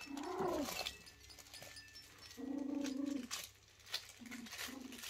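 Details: Four-week-old Kooikerhondje puppy exploring indoors, giving short, steady whimpering whines, one rising then falling at the start, then a longer drawn-out whine and two brief ones near the end, over a soft rustling background.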